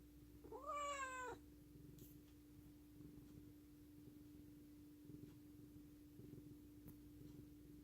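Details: Affectionate pet cat giving one clear rising-then-falling meow, strong and harmonic and lasting under a second, followed by quiet indoor room sound with a steady low hum and faint soft thuds.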